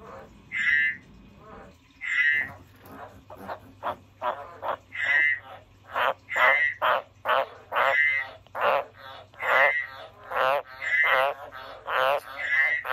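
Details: Frog calling in a quick, uneven run of about twenty rattling croaks in thirteen seconds, loud buzzy notes mixed with softer, lower pulsed ones, over a steady low hum.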